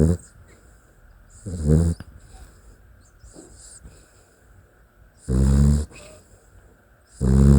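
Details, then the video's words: A Dachshund snores in its sleep, giving four harsh, low, buzzing inhalation snores at irregular intervals of two to three seconds, separated by near silence with soft breathing noise. "Em Ngáy Như Người Vui Ghê| Funny Dachshund Snoring Clip"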